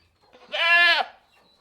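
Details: Goat giving a single loud bleat of about half a second, richly harmonic and slightly wavering, rising then falling at the end, against a quiet background.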